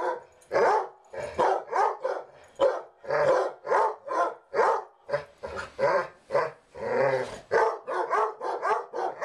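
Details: Pair of basset hounds keeping up a bark fest after lights-out, a steady stream of throaty, resonant barks, about sixteen in nine seconds, uneven spacing with a few drawn-out, growly ones mid-sequence.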